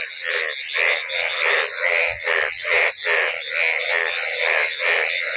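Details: Dense chorus of many yellow frogs calling with heads raised out of floodwater covering fields after one night's rain, rainy season feel; overlapping buzzy croaks pulse in waves about every half second to one second, steady and loud throughout.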